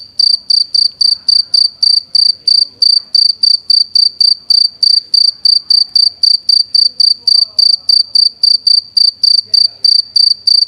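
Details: A cricket makes sound with its wings, a steady run of pure, high-pitched chirps, several each second.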